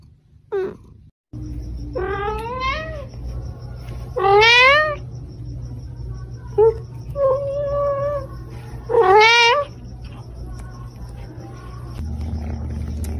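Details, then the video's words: Cats and kittens meowing in a compilation: several rising-and-falling whiny meows, some long and wavering, with shorter chirps between, over a steady low background hum and a faint high whine. "Funny Cats and Kittens Meowing Compilation"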